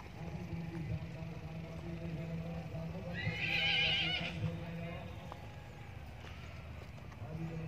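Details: A horse gives a single high, wavering whinny lasting just over a second, heard mid-clip above a steady bed of low murmuring voices and background hum.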